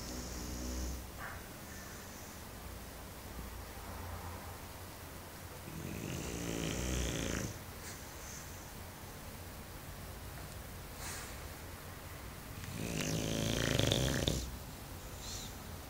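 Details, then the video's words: Mario, a Bulldog in deep sleep, snoring indoors: two long, rough, deep snore breaths with rattling harmonics around six and thirteen seconds, separated by quiet, softer breathing. "Funny Bulldog Snoring"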